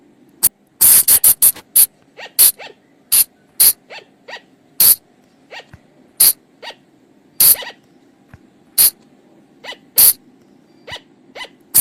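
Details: Forest flying lemur call, played at night to draw the animals in: sharp, hissing broadband bursts roughly every half second to second, interleaved with fainter rising whistled chirps, against a low steady hum.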